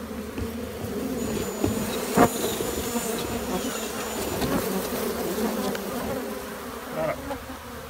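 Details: Thousands of honey bees in a shed, colony seen under the joists: a steady, dense low humming drone throughout, with occasional clicks and knocks from people moving nearby.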